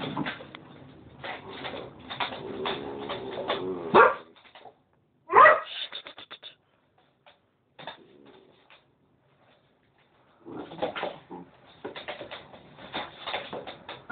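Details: Cocker Spaniel named Trancos trying to court a female Westie named Xua, who shows no interest, indoors; a run of whiny, tonal yelps and short barks, two sharp rising cries, a quiet pause, then renewed whimpering bursts.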